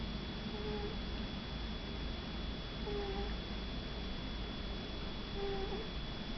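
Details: Shih Tzu puppy named Mini Cooper asleep indoors, snoring: soft whistled nasal tones on each breath, repeated about every two and a half seconds over a quiet room hiss.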